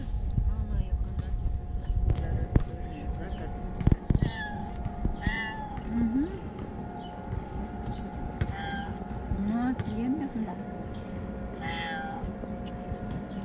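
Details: Male cat with a white point on his tail and eyeliner-like markings, called a Damat cat, meowing because he wants affection rather than food; several short rising, harmonic meows come in bursts, over a steady low rumble and scattered clicks.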